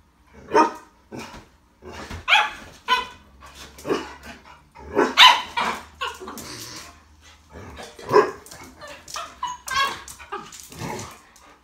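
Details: A Labrador and a miniature schnauzer playing together: sharp, loud barks in irregular bursts, sometimes paired in quick succession, roughly every one to two seconds, with softer scuffling and panting play noises between them.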